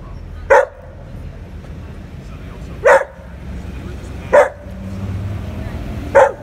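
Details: Domestic dog barking: four short, sharp single barks spaced about one and a half to two and a half seconds apart, with a low steady hum underneath.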